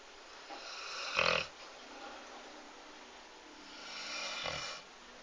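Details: Snoring from Lord, a sleeping dog: a short rasping snort, then a softer, longer breathy exhale a few seconds later, over a faint steady background hiss.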